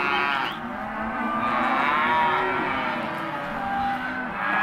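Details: Hereford and black-baldy cattle, empty cows sold as lot 18, mooing: long, harmonic-rich lows overlapping one another, several animals calling at once in steady succession.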